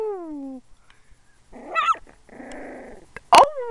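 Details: Male puppy working up to his first barks: a falling whine, a rough growling rumble, a buzzy held growl, then one sharp loud yelp followed by another drawn-out whine.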